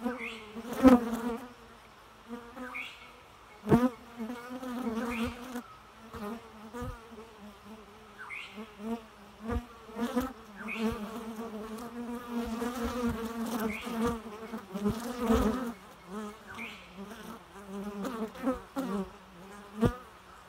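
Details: Steady humming of bees, a low droning buzz with rich overtones rising and falling in loudness as insects fly near, punctuated by brief clicks and short upward whines.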